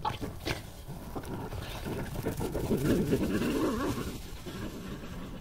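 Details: European badger attacked and bitten by a much bigger badger on 23 June 2018 before breaking free and fleeing, a female giving chase; rough, throaty growls and snarling squeals in a dense burst, strongest midway, over low rumbling background.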